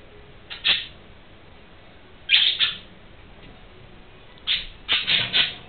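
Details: Young gerbils with eyes still closed, pushed out of the nest by their busy mother and exploring; thin, high squeaks come singly and in quick clusters of two or three, separated by short pauses, in a quiet room.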